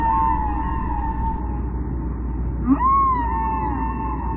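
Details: A humpback whale sings in sustained, siren-like moans that waver and slide up and down, with a brief lower grunt before a rising swoop, over a steady low water rumble; song is sounds repeated in a pattern.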